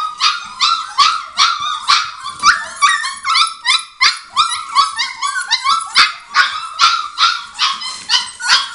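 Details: A group of five-week-old Border Collie puppies of the Arttulan litter yipping and whimpering, bright squeaky cries repeated about two and a half times per second, several pups calling over one another.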